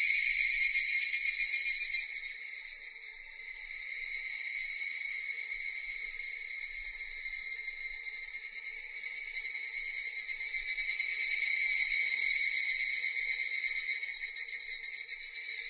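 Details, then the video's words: Cicadas in a dense, unbroken high buzzing drone with several stacked shrill tones, briefly dipping near the third second, then swelling louder again toward the end; no other sounds. "Cicadas Sound effect"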